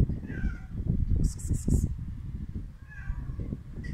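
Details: Hungry stray cats being fed outdoors; faint meows near the start and again near the end, sliding tones, under heavy low rumbling handling and wind noise, with a short burst of high rattling clicks in between.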